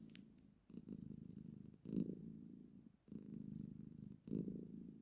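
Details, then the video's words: Domestic cat, a female, purring as she sits with her owner: steady low rumble rising and falling with each breath, four long bursts separated by brief quiet gaps, in a small quiet room. "My cat always makes this sound whenever she sits with me"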